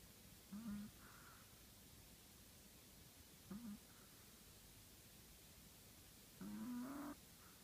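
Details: Sleeping Chihuahua, nicknamed the shop manager, gives three whistly, nasal snores with a harmonic buzz. The first two are brief and about three seconds apart; the last is longer and rises gently in pitch, all against soft steady room noise.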